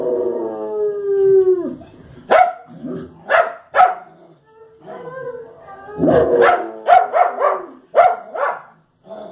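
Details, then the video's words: Fox Terrier barking at the television: a drawn-out falling howl-like whine opens, then sharp broadband barks in short bursts, spaced irregularly, with a quick cluster of four barks near the end. "FOX TERRIER LADRA A LA TELEVISIÓN"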